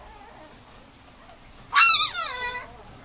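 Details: Male Mame Shiba Inu puppy at a breeder: after a quiet start with a faint tick, one sudden high yelping whine that swoops down and trails off over about a second, rich in overtones, then silence.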